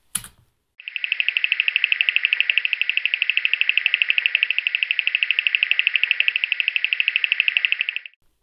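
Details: A bearded sand frog gives one long, even, high-pitched trill of rapid pulses lasting about seven seconds, with a brief click just before it; beginner birders can mistake this call for a striped crake.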